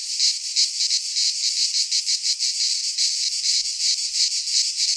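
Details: Midsummer chorus of cicadas in a pine forest in Greece, a harsh high buzzing that swells and dips in quick rhythmic pulses about three times a second, unbroken, nothing else heard.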